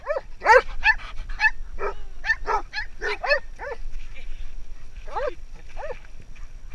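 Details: Basset Hound visiting a farm, giving a series of short baying howls that bend up then down, some in quick pairs, with a pause midway before two more drawn-out howls; faint voices in the background.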